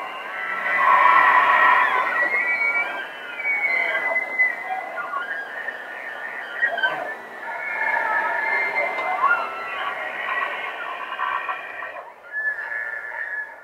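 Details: Wild bull elk in rut bugling in Rocky Mountain National Park, recorded in live stereo: dense, overlapping high whistled tones with harmonic bands running almost continuously, loudest in the first three seconds, rough grunting texture beneath.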